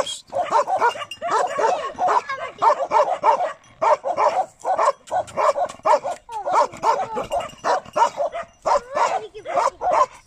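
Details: Bakarwal dog, a pure-line lion-head type shown with puppies, barking in a dense run of short, punchy barks, around two per second with brief pauses, sustained across the whole stretch.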